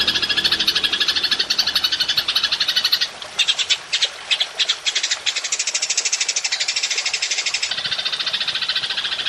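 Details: Golden grasshopper, long-shot style, used to train songbirds: a dense buzzy trill, then stuttering short bursts for a couple of seconds, then a long, unbroken, rapid, rattling trill.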